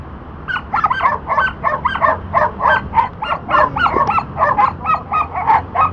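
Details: Border Collie during disc dog training, working on a back vault; rapid, excited high-pitched yipping barks repeated several times a second throughout, over a steady low background rumble.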